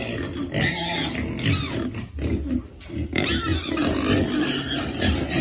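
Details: Piglets at feeding time squeal loudly in harsh, noisy bursts, with short gaps and grunting between the shrill outcries.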